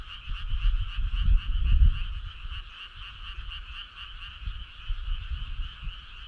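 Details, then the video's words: Many frogs calling together on a midsummer night, their continuous buzzing trill holding steady in two pitched bands while heavy low thumping rumble rises early and fades to softer patches. "Cool frog sound"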